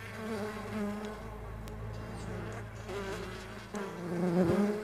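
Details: Buzzing from farmed stingless bees over a deep, steady background rumble, the drone rising and growing louder toward the end.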